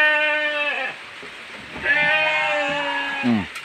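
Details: Hungry goat in heavy rain calling for food: a long level bleat, pause with a man speaking, then a second trembling bleat ending in a falling cry, all over steady rain.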